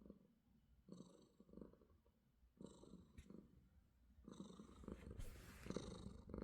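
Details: Affectionate house cat purring in the morning, a low buzzing rumble repeating in pulsed bursts with brief quiet gaps, growing louder toward the end with a short rustle near the close.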